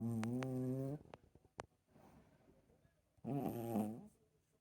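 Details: Snoring Chihuahua: a rough, buzzy, low-pitched snore lasting about a second, a few soft clicks and breaths, then a second rasping snore of similar length.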